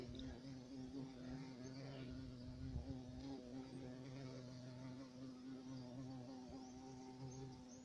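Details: European carpenter bee (black bumblebee) producing an even, deep buzzing drone with a wavering overtone, steady throughout nearly eight seconds, a soft thump near the middle.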